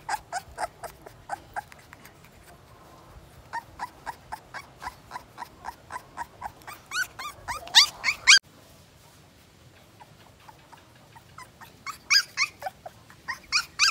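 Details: A 2-week-old Siberian Husky puppy crying: a steady run of short, high whimpering squeaks, nearly two a second, growing louder and shriller toward the middle, pausing briefly, then resuming in sharp bursts indoors.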